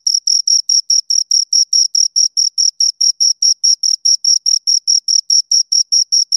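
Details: A pair of crickets gives crisp, high, piercing chirps in a fast, regular rhythm of about four per second, each pulse short and clean against total silence.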